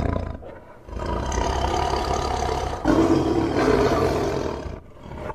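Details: Sustained, throaty tiger roaring grows louder partway through, with a rough, pulsing texture, then fades out near the end.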